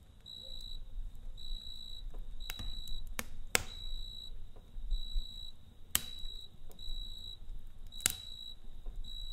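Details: Night-time cricket song heard over a campfire: thin, high, ringing trill phrases repeated with short silences between them. Several sharp pops and crackles come from the fire.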